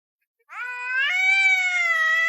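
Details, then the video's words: Talkative pet cat: a long, clear meow that starts after a short silence, rises slightly, then holds a steady, slightly nasal tone for nearly two seconds. "My Cat Wouldn’t Stop Talking"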